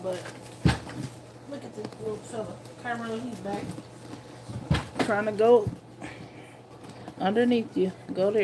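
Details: Nursing puppies two weeks old whine and squeal in a small room: wavering tonal cries near three, five and seven seconds, some bending upward, mixed with sharp knocks and soft shuffling.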